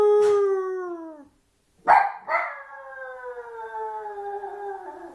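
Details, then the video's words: Lonely Maltese puppy: a fading tonal cry, a pause, then two sharp noisy bursts, perhaps sneezes or yelps, leading into a long wavering whine that slowly drops in pitch. "Crying and sneezing puppy!"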